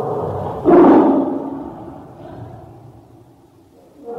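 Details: Tiger giving a single loud harsh roar near the start, a broad rasping burst that trails off into a long low fading growl.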